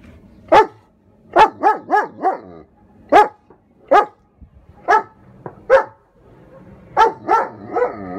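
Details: German Shepherd Odin throwing a barking tantrum at a hot air balloon nearing his airspace: rapid runs of loud barks, some in quick groups of three or four, mixed with whining tones between bursts.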